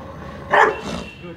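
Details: During speak and attack training in Mumbai, India, a male Rottweiler gives one sharp, deep bark on command, followed by a softer trailing sound.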